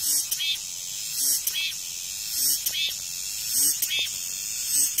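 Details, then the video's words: Cicada gives a shrill, high buzz swelling into pulses a little over once a second, after rain. "REAL SOUND 매미소리"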